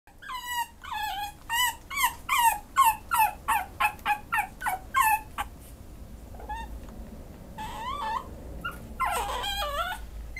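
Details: Pekingese dog up for adoption, giving a rapid run of high, wavering whimpers and yips that rise and fall, about three per second, then quieter scattered whines and a final burst of strained yelping.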